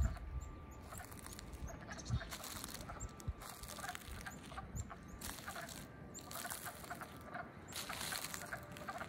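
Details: Wood frogs in Middlesex, Vermont, on 7 April 2020, newly awake in early spring; a dense background of low, chuckling calls with intermittent louder clucking bursts.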